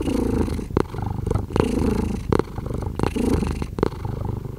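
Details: Rumbling cat purr in uneven pulses, punctuated by sharp short clicks or snaps between the low breathing surges.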